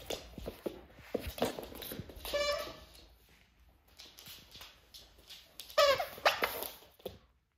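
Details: A stray female rat terrier named Pokey plays with her toy monkey indoors while snowbound, giving short squeaky whines and a few yelps in scattered bursts, with household sounds in between.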